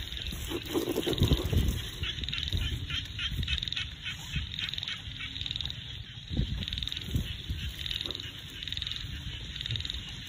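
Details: Small frogs calling in a rice field in the countryside: a steady run of short, high, pulsed notes, roughly three per second, over low rumbling wind-like noise, with a louder low burst near the start.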